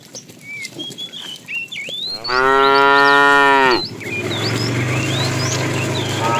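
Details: Tame cow herded each morning on a long walk to green grassy pasture, giving one loud, drawn-out, rich moo lasting over a second, with small birds chirping and whistling before and after it.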